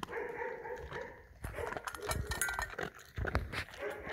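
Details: German Shepherd dog eating food; a brief soft voiced whine at first, then dense crunchy clicks and chomping bursts of chewing close to the microphone.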